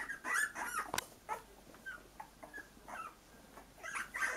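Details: A litter of young Cocker Spaniel puppies, newly mobile in their puppy pen, give high, thin whimpers and squeaks in short, irregular bursts.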